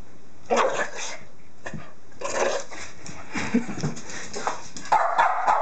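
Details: A Boston Terrier gives short, gruff barks and grunts in uneven bursts, with brief whimpers between, while playfully being chased after stealing and tearing up a dryer sheet.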